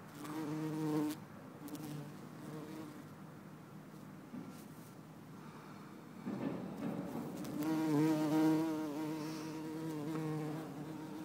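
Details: Bumblebee, possibly Bombus hortorum or Bombus terrestris, in Lisbon on 4 December 2011, buzzing in flight. A low harmonic drone comes and goes, loud at first, fading, then returning stronger with wavering pitch as it passes close.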